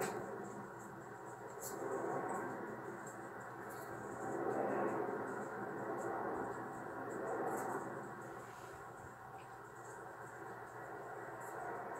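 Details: Soft indoor background of muffled, swelling murmur like distant television sound over a low hum, with faint ticks; no animal voice is present.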